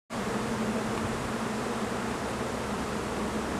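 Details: Honey bees at an apiary pavilion with bee colonies in summer, during beekeeping work: a steady, dense broadband hum of many bees that holds evenly throughout, with no breaks.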